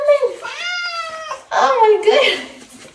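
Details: Leo, a pet cat out on a late-night leash walk, lets out a long, steady meow, followed by a person talking over softer, wavering vocal sounds.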